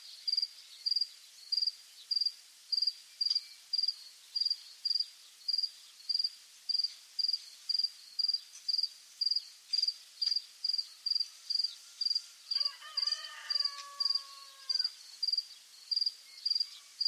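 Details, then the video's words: Crickets at sunset in the countryside. A high, steady chirp repeats about every 0.6 seconds. Near the end, a few descending whistled notes from another animal briefly overlap, over faint background hiss. "Grillos, atardecer en el campo"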